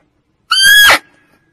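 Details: Kijang, a female barking deer, gives a single loud, piercing call, a strained squeal about half a second long with a steady pitch and a sudden end. The call is used to lure deer for hunting. The surroundings are quiet.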